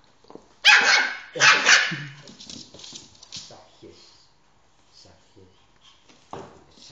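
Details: First encounter between the Shiba Inu Emi and another dog, Zinzi, inside a home: one sharp bark, a pause, then a double bark, fading into rustling, shuffling and low murmurs, with a brief voice near the end.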